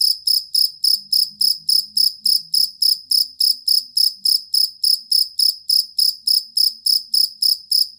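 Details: Collar or fighting cricket, played to teach competition songbirds, producing a continuous train of piercing, evenly spaced chirps at about three to four per second; only a faint low hum lies underneath.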